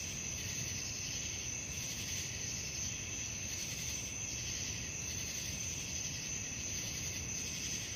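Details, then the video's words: Night crickets keep up an unbroken, piercing high trill with a rhythmic buzzing pulse on top that comes and goes, set against a steady low hum of ambient noise. "suara jangkrik malam"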